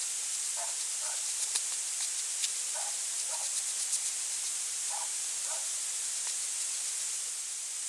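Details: A European hedgehog noses for food at night beside a small pond in rural central France, November 2020, feeding on small slugs; a few soft double snuffles spaced about a second apart, with occasional crisp clicks against constant hiss.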